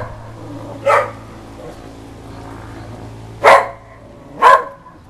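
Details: Whippet in a barking frenzy at the Goodyear blimp flying low overhead; three separate sharp barks over about five seconds, the last two closer together, over a quiet low hum.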